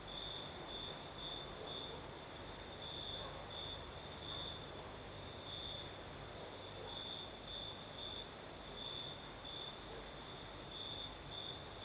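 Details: Nighttime cricket song in southern Crimea with a night breeze: an unbroken piercing trill pulsing in brighter patches, layered over a wide breathy hiss and a faint steady high-pitched insect drone.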